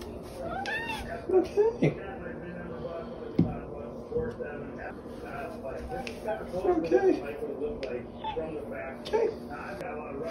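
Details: Domestic cat indoors, chatting back and forth with its owner, who asks whether it is time for coffee; several short, rising-falling meows scattered through the clip, mixed with human speech and loud background television noise.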